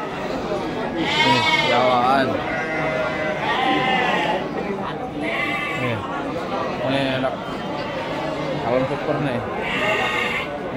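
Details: Sheep at the Pasar Wage livestock market in Bumiayu, Indonesia, give repeated wavering, harmonic bleats, several calling in turn every second or two, over a busy crowd of people talking.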